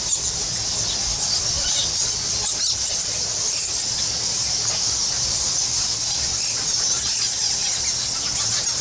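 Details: Bat colony numbering in the thousands inside Goa Lawah, a Balinese temple cave: unbroken, hissing wash of shrill squeaks and twitters from countless animals, steady in loudness, with a soft low hum below.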